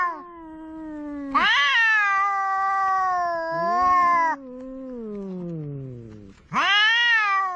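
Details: Pair of cats squabbling by the sea, including a large ginger cat; a low moaning growl gives way to a loud, sustained, rising-and-falling yowl, then a long descending moan before another sharp wail starts.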